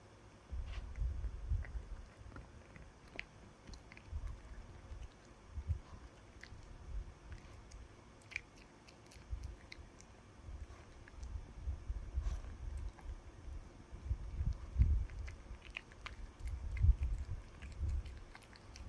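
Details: Indoor pet dog eating a chew treat, heard up close as deep wet gnawing thumps in irregular bursts about every two seconds, with sharp crunches and squishy bites between them.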